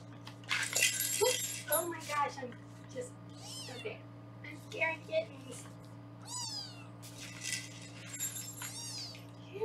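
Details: Several foster kittens on a Los Angeles kitten cam meow busily while being weighed, high, wavering cries coming close together, some sliding downward, mixed with a woman's speech and handling noises in a small room.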